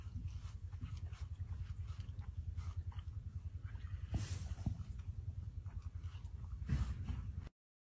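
An Asiatic cheetah gives a deep, pulsing rumble that throbs several times a second, like a steady purr.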